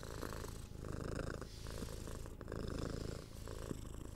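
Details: A six-month-old kitten purrs while being petted and scratched on the head, its low throbbing purr rising and falling with breaths amid faint scratching and rustle from close handling.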